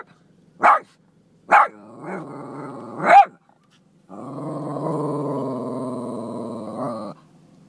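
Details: A Boston Terrier confronting goats it dislikes gives three sharp barks, then a long, rumbling growl.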